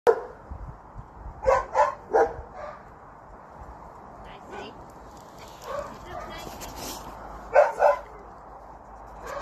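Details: Lakeland Terrier, white, giving short yappy barks in a quick burst of three around the middle, then a pair near the end, with softer yips between over a steady background hiss.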